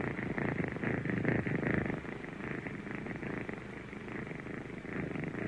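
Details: A kitten purrs steadily, a grainy buzzing rumble with slight pulsing swells, louder at first and then settling evenly.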